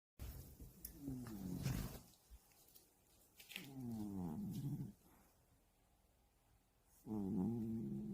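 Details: Domestic cat snoring while deeply asleep for hours indoors in a cat hide house; low, harmonic rasping snores come in three drawn-out breaths about every three seconds, with quiet gaps between them.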